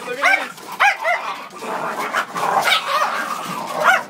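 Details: A fight among four dogs, begun by a fox terrier and joined by a blue Staffy; sharp rising yelps and barks open the scuffle, followed by continuous snarling commotion and a last yelp, with human voices mixed in.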